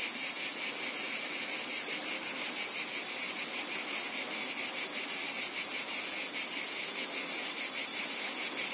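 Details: A wall of high, buzzing cicada song, evenly pulsed at a rapid beat and unbroken from start to finish, with no other animals or background sounds evident.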